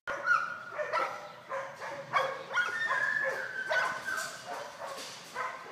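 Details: Cannyn, an eight-month-old golden retriever on short single marks, barks repeatedly in quick, strong bursts mixed with high, drawn-out whining tones, one sound following another with little pause.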